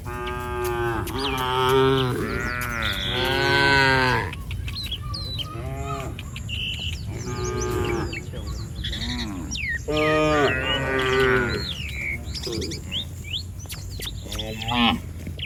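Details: Herd of village cattle strolling down a street, lowing repeatedly: a run of strong moos in the first four seconds, more around eight and ten to twelve seconds, with birds chirping and occasional faint voices in the background.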